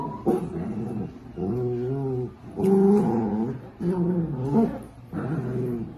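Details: Dachshund puppies in a playful home compilation, voicing a run of five throaty growling whimpers, each about a second long with wavering pitch, separated by short pauses.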